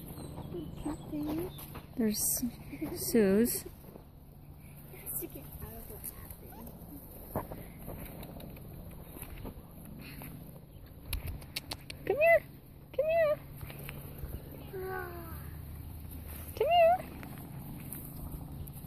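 Standard Poodle puppies give high, thin whimpers and squeaks, some rising and falling, in short bursts.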